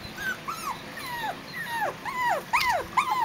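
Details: Biewer Yorkshire Terrier puppies, seven weeks old, at a breeder's kennel during early training on balance and height exercises; a series of high whining whimpers, each arching down in pitch, repeated about twice per second and growing louder.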